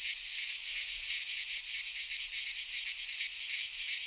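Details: Greek pine forest cicadas in midsummer, their song a harsh, sizzling high drone, fast pulses riding on a constant wall of sound.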